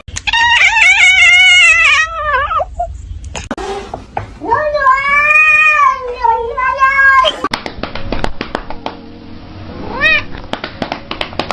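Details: Kitten with a strange voice: a long quavering meow, then another long arched cry, then clattering noise and a brief rising squeak near the end, with a constant hiss.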